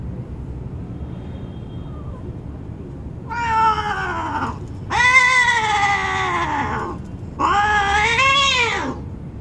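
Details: Domestic cats mating under a car in an urban setting, one of them white with blue eyes. Three long, loud, wavering yowls rise and then sag in pitch, each lasting over a second, separated by short quiet gaps.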